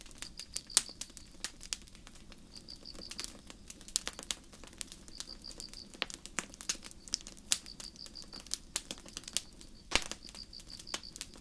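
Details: Night forest crickets under starlight give high, rapid chirps in short bursts of several pulses, recurring about every one and a half seconds, while a nearby campfire snaps and crackles irregularly throughout.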